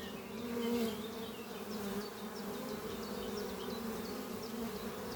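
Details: Honey bees in flight at their hive under trees on a spring morning; dense close buzzing swelling loud early then holding steady, with a series of faint high bird chirps behind.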